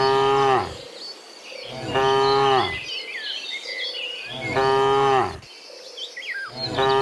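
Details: Cows in the morning returning from the field to the pen, giving loud harmonic moos about a second long, roughly every two seconds, each falling at the end, with bird chirps and insect buzz between them.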